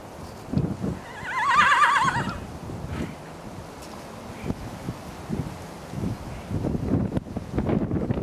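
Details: Pet horse whinnying once, a wavering, vibrating call lasting about a second that falls in pitch, followed by a series of soft snorts, hoof thuds and shuffling sounds.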